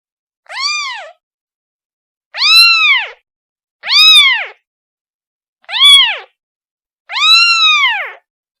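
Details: Young kitten calls for its mother with five loud, bent meows, each swelling and dropping away, separated by short gaps with no other sounds.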